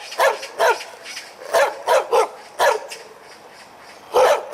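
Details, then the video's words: Dog barking hard while its tail wags: about eight punchy, resonant barks in under five seconds, some in quick pairs, with low background hiss between them. "개짖는소리 효과음 - 꼬리는 흔드는데..."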